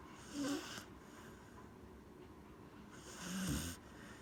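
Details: Corgi named Gen-chan snoring while apparently asleep: two breathy, rasping snore bursts about three seconds apart, each carrying a low rough tone under a hiss, with quiet room hush between breaths.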